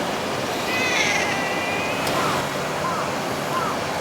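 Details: Meow from a stray or community cat recorded between summer 2016 and winter 2017: one drawn-out, gently falling cry near the start, then a few faint short chirps against constant rushing background noise.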